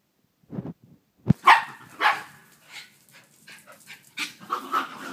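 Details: Pit bull and Jack Russell terrier fighting: sharp, harmonic barks and yelps in quick bursts, with a loud thump early on, then a steady run of excited yips and barks. Background noise throughout.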